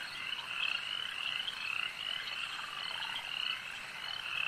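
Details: Frogs calling at a lake: a dense, continuous chorus of short, raspy trilled notes in the upper-middle range, many voices overlapping and pulsing steadily without pause.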